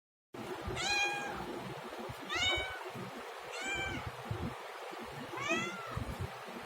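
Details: Domestic cat meowing four times, each meow a clear, drawn-out harmonic cry, the later ones bending downward, spaced about every one and a half to two seconds over a low background rumble.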